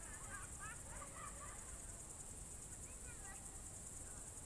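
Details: June 2023 evening in Novgorod Oblast's Novye Buregi tract, crickets keep up a continuous high-pitched pulsing trill, while faint distant voices and short mid-pitched chirps come and go beneath it.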